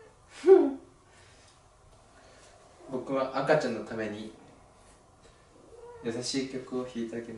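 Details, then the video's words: A pet cat, a rescued kitten, sings along beside piano playing: short high meows, then two longer drawn-out, wavering harmonic calls a few seconds apart in a quiet indoor room. "ピアニストの猫は歌うようになります/Pianist cat sings"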